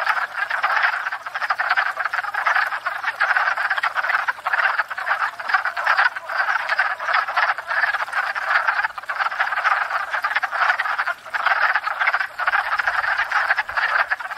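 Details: Wood frog breeding chorus at a spring pond, filmed from a stationary tripod: countless short, raspy quacking croaks merge into a continuous clattering roar, with faint low thumps near the end.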